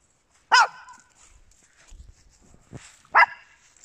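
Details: Two sharp, high barks about two and a half seconds apart, with soft rustling and shuffling between them, from small dogs in a home with Papillons and a Yorkshire Terrier.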